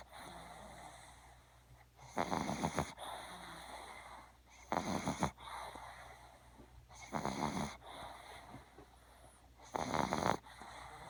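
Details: A small sleeping female puppy named Little One snores in a steady rhythm, with four loud, rasping, buzzy inhalations spaced roughly two and a half seconds apart and quiet breathing in between.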